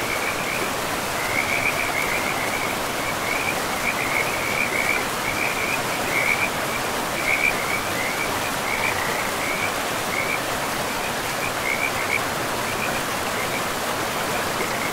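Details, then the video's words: Frogs by a river in a pristine forest: a steady row of short, high chirping pulses repeats through the whole stretch over the constant rushing hiss of flowing water. "River and Frogs sleep sounds"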